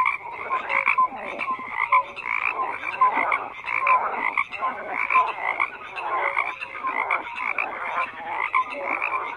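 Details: Numerous frogs croak at once, raspy pulsing calls interleaved with brief clear tonal notes, forming a constant wall of sound without breaks or other noises.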